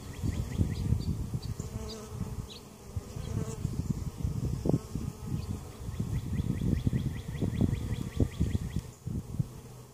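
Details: Close, loud honey bee buzzing at a Mt. Perry, Ohio hive with queen and capped brood in the bottom box; dense low drone rising and falling in pulses as bees fly near, with faint ticking above.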